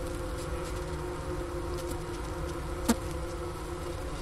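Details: Wintering honey bees heard through the inner-cover hole next to sugar-brick remains, Wooster, Ohio, January 16, 2024, about 4 PM, 15 °F outside; continuous low hum, one brief sharp click near the end.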